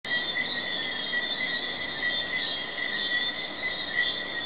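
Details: Jamaican tree frogs in a night chorus at Hidden Paradise in Negril, May 2008: a steady, dense shimmer of overlapping calls, with a bright continuous band and a higher pulsing layer above it, no single caller standing out.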